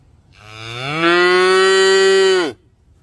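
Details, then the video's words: Cow giving a single long moo lasting about two seconds, rising gently at the start, then held steady and rich with harmonics before cutting off sharply; quiet background. "cow sound"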